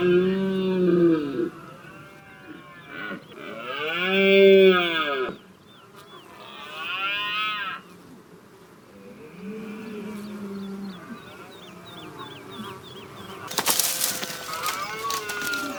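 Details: Red deer during the rut in Ciudad Real, recorded on a DSLR from a hide: drawn-out, arched, moaning bellows come in separate bouts, with faint chirping birds in the background and a sudden loud broadband crash near the end.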